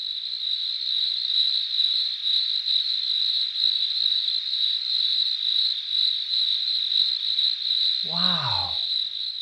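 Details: A cricket chirps in a steady, high, shimmering trill, made by rubbing its front wings back and forth.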